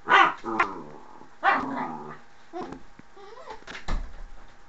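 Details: Mushu the dog at the door lets out sharp, loud barks in quick bursts. Two come close together at the start, then single barks follow at uneven intervals, each with yelping overtones, in a small indoor room.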